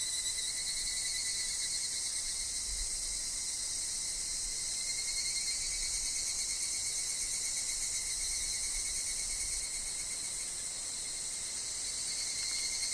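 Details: Higurashi cicadas in a wooded setting with wind and falling leaves produce a steady, piercing high buzz that swells slightly in places, a faint continuous lower tone beneath, a few soft low rustles.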